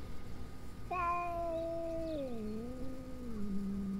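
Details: Stray cat heard during a possible fight: one long, steady, tonal yowl starting about a second in, holding level, then dipping and wavering lower for over three seconds, with faint background noise.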